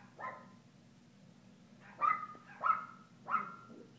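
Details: Kooper, a young Alaskan Klee Kai puppy, playing at Paws Pet Resorts doggy day care in Lake Forest; four short yapping barks, one faint then three sharper ones spaced about half a second apart, over a low steady hum.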